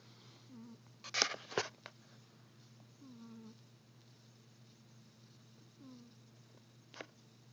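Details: Sleeping cat snoring: soft, descending whistle-like tones return about every two and a half to three seconds, with a few sharp knocks near the start and one later, over a steady low hum.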